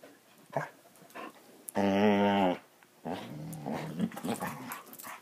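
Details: Basset Hounds playing indoors: one sustained harmonic growl-moan of about a second, preceded and followed by softer, grumbling growls, with faint rustling between.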